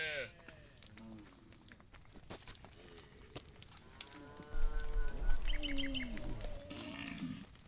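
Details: A cow out in the fields calls to its friend with a single long, level moo partway through, amid rustling, clicks, faint chirping and low rumbling background noise.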